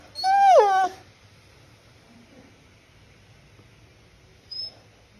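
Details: Beagle named Mowgli asking to play: one loud, wavering whine that dips in pitch near its end, followed by quiet, and a faint short squeak a few seconds later.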